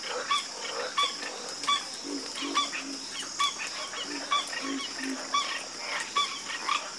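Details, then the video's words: Frogs croaking together after dark, a regular beat of sharp clicking croaks with a whistled edge, mixed with deeper short grunts, set against a continuous shrill background hum. "Calming Sound Of Harmonious Frog Croaking"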